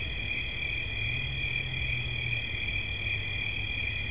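A cricket trills steadily in high, tight bands, with a low rumble underneath.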